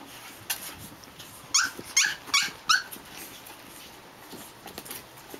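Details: Four Japanese Chin puppies, Hestia, Fizzz, Asti and a baby girl, romp indoors; four quick high-pitched squeaky yips come in a burst midway, surrounded by soft rustling and thumps of play.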